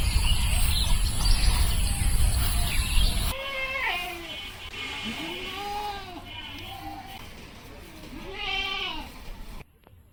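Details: Farm goats on a char of the Padma River, Bangladesh, where the doe Queen lives with her two kids; after a windy, rumbling start, a run of wavering, arched bleats rises and falls, some higher and more strained than others.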